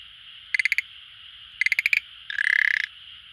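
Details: Schlegel's green tree frog calling at an aquarium it visits daily: two clicking bursts of four to six pulses, then a longer, denser, buzzing rattle, over a steady background hiss.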